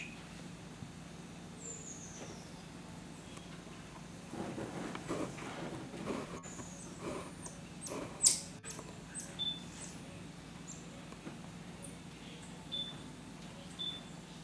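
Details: Geoffroy's tamarin (Saguinus geoffroyi), a single monkey, calling with thin, very high whistles and short squeaky notes over a steady low hum.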